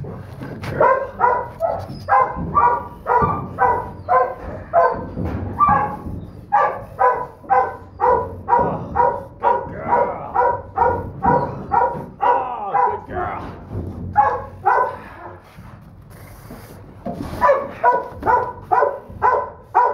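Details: Long bout of persistent barking from a small female Donovan Pinscher pup (Duke x Survivor holdback): bright, harmonic yaps about two per second, a short quieter break midway, then the barking resumes just as fast.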